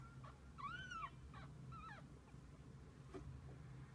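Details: Kittens with their mother cat through the day. A clear arched meow rises then falls, followed by softer, shorter mews over a constant low background hum.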